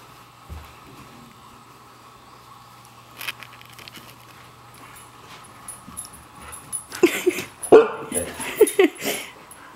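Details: A white female Siberian Husky playing hide and seek, letting her owner know she has found him. After several quiet seconds of room noise, a run of harmonic, wavering, talking-style yowls and grumbles comes in the last three seconds.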